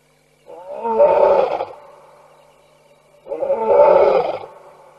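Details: Lions roaring at night at a waterhole in Tembe Elephant Park, September 2022, captured by a wildlife camera; two long, deep, rumbling roars about three seconds apart, each swelling then fading, with near silence between.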